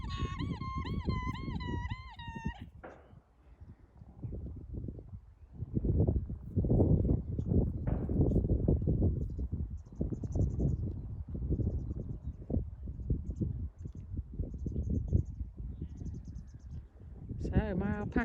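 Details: An alpaca on a farm gives a shrill, quavering alarm call warning the other alpacas of a possible threat, as mothers and babies drop back and the herd goes on high alert.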